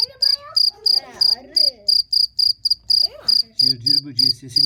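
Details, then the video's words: Sharp, very high chirps of a cricket repeated about three times a second, loud and regular, with people's voices rising and falling over the top. "CIRCIR BÖCEĞİ'nin sesi neresinden çıkıyor?"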